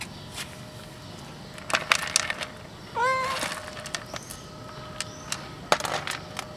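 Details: A playful, friendly black cat, eating under a car and then playing, gives one short rising-then-falling harmonic meow midway, surrounded by scattered sharp clicks and crunching sounds over a steady low hum.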